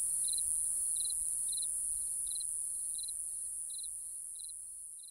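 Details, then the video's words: Crickets at night give clipped three- to four-pulse chirps about once every 0.7 seconds above an unbroken high ringing trill, the whole chorus slowly fading in loudness toward the end. "Real Cricket Chirping Sound | Cricket Noise"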